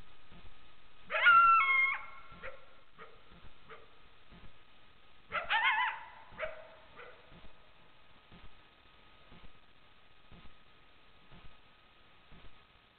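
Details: Coyotes caught on trail camera give two bursts of high, wavering yips, a few seconds apart.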